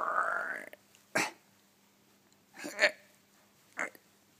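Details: A male Shiba Inu, lazily refusing to leave his bed and go outside even with the door wide open, gives a brief rising, nasal whine of protest, followed by a few dull thumps.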